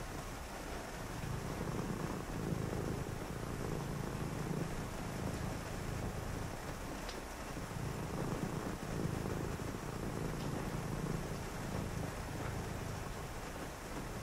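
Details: Rainy-night purring from a house cat, a deep buzzing rumble broken by short pauses between breaths, with steady rain hiss and a couple of faint ticks.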